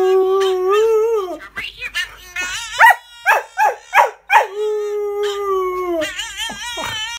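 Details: Keeshond at home reacting while watching another dog act out; a drawn-out howling note, then a run of short rhythmic yips and barks, and another long steady howl trailing into more yelps.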